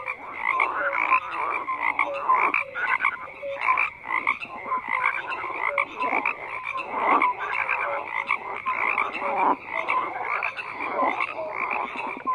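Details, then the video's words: Chorus of many frogs, overlapping harsh pulsed croaks rising and falling in loudness, short tonal chirps repeating through the mix, unbroken for the whole stretch. "FROGS CROAKING"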